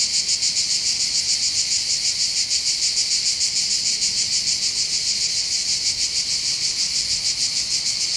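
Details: Cicadas singing on the heights above the port of Bandol, Var, on the Mediterranean coast of southern France in summer: a dense, continuous high buzzing with a steady rapid pulse, about three throbs a second, and no other sounds.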